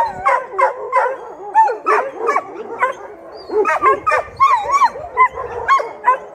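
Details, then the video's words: Several shelter dogs joining in a howl started by one of them, some howling and some just barking; short wavering howls and yelps rise and fall in quick succession. "Собаки из приюта воют о своей нелегкой жизни"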